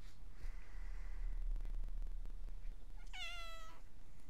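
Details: A cat faced with a mushroom-cat plush toy won from a crane game: one short, clear harmonic meow, falling slightly in pitch, heard over a steady low hum and faint rustling indoors.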